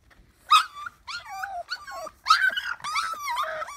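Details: Male mini Bulldog puppy whining, a run of loud, high, quavering whines and yelps with wobbling pitch, about five drawn-out cries over a few seconds.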